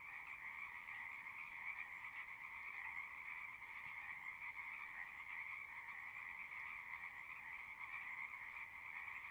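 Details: Many frogs sing together in a continuous, even drone of trilling calls, two layered pitch bands holding steady throughout with only slight swells in volume.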